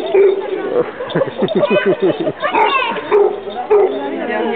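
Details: A Basset Hound pack welcomes a 17-month-old newcomer on 10/05/2009 with a quick run of barks and drawn-out, wavering bays and yips, while people talk alongside and faint music may sit in the background.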